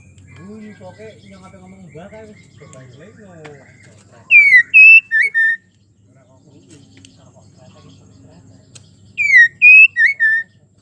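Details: Female white-rumped shama in breeding condition calling to a male: two short bursts of clear, loud whistled notes, slurred and falling, several seconds apart, with soft murmuring voices and low background noise between.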